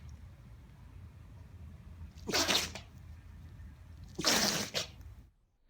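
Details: An Italian greyhound sneezing: two sharp, breathy bursts of hissing noise about two seconds apart, over a low steady room hum, ending in near silence.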